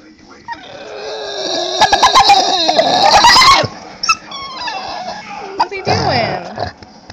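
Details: Dog producing a drawn-out, high, wavering whine that sounds like a dolphin, swelling loudly over about two seconds with rapid pulsing, then a few short squeaks, while people talk and laugh nearby.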